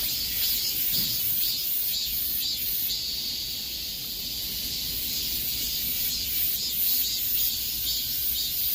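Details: A summer-heat cicada chorus of unbroken, shrill droning. The buzz throbs rhythmically roughly twice each second, and the background is otherwise quiet.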